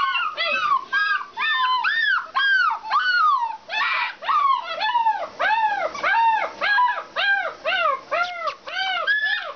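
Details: Alaskan Malamutes at a kennel, several dogs giving a chorus of arched, yelping howls and yips, overlapping, repeated roughly twice a second, each rising then falling in pitch.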